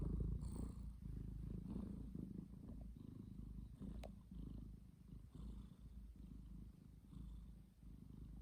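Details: Sleeping domestic cat snoring: low, rumbling breaths in soft, rhythmic pulses that swell and fade, with one brief sharp click partway through and no other sounds.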